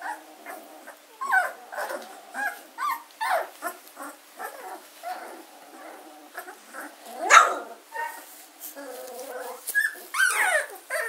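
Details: German Shorthaired Pointer pups aged 14 days, Katelands gundogs, 24 August 2016: irregular high whimpers and squeals from several puppies, with a sudden sharp yelp mid-way and another burst of whining toward the end.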